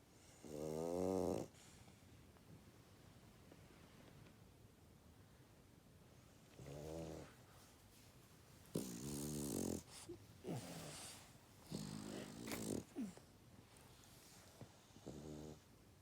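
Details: Pet dog snoring while asleep indoors; harmonic, rumbling snore breaths come every few seconds, each lasting about a second, with quieter rustling in between.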